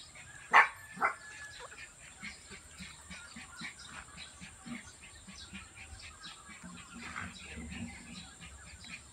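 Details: Miniature Pinscher puppies being dewormed: two sharp, high yelps burst out near the start, followed by faint, short squeaks and chirps scattered over a steady high hiss.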